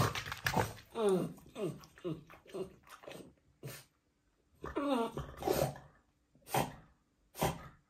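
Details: Frustrated French Bulldog having a tantrum over a toy he cannot reach: a run of wavering, whiny yowls and grumbles in rapid bursts, with a pause midway, then a few short sharp huffs, indoors.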